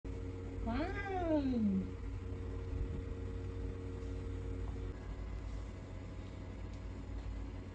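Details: Kitten warning its mother because it does not want to play: one drawn-out wailing call that rises then falls over about a second, followed by steady background hum.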